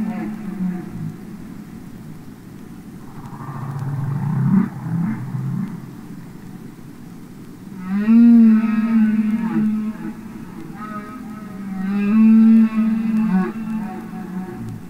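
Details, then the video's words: Humpback whale song underwater, opening with soft low grumbles, then two loud moaning phrases that start with a sweeping rise and hold a low wavering tone. "Listen to Songs Of The Humpback Whale"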